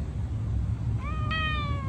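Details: Norwegian Forest Cat, white-coated, making a cute encouraging sound: after a quiet start, a single meow rises briefly and then eases gently down over almost a second, over a soft low background hum.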